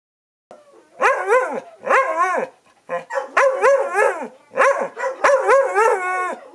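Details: Two dogs, Chewy and Rosie, arguing like an old married couple: harmonic, yowling barks in half-second bursts, each rising then falling in pitch, given in quick clusters with short pauses between them.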